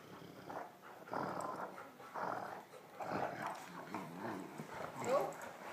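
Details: Two Great Danes at play in a tug of war: Dallas, a 15-month-old black female, gently handles Marley, an 8-week-old male Harlequin puppy. Low grumbling growls come in bursts, with a person talking over them.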